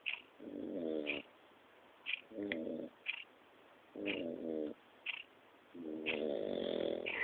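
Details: A 4-month-old French Bulldog snores while asleep: rough, rattling buzzy breaths, each under a second long, coming about every two seconds in a steady rhythm.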